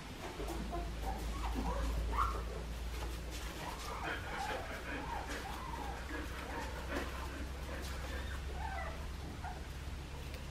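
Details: Two-and-a-half-week-old Australian Shepherd pups from Poppy and Dublin's litter at Fifteen Acre Farms in Oklahoma squeal and whine in rapid, overlapping high squeaks, some rising sharply, above a constant low electrical hum.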